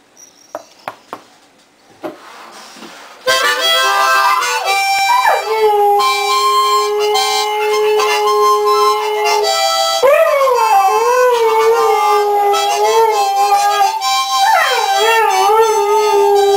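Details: A Siberian husky gives drawn-out howls that swoop up, then sag and waver, holding each note for several seconds as it sings along to a harmonica playing "Dixie", its voice rising and falling with the tune.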